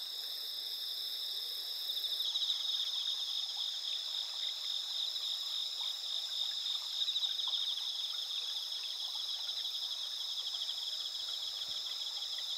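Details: Autumn insects calling on a clear night of 20 September 2021, the eve of the harvest moon, over rice fields with pampas grass and red spider lilies in Asuka village, Japan; dense high continuous trilling and pulsed chirps layered together, steady throughout.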